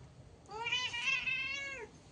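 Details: Cat meowing once in a long, clear, harmonic call lasting over a second, rising slightly at the start, holding steady, then sliding down at the end, in a quiet indoor setting.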